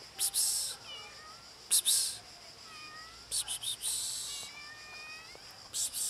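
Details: Three hungry cats meowing: several short, thin, falling meows spaced through the clip, mixed with bursts of hissy high-pitched noise and a steady background hum.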